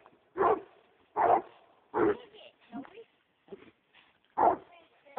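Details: American Leopard Hound on a roll cage, excited by a raccoon, giving loud separate barks at irregular intervals, with short quieter sounds between them.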